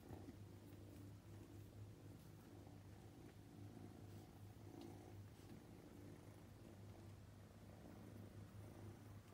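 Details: Domestic purring from Luca, a playful young male Scottish Fold with upright ears, indoors on his second day after joining the family; a soft, unbroken low throbbing purr throughout.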